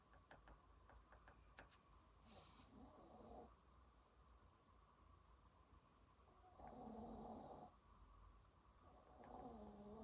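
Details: Pet dog asleep at home during a study session, snoring in low, rough, rattling breaths that last about a second, roughly every three seconds, over quiet room noise with light tapping and scratching of writing.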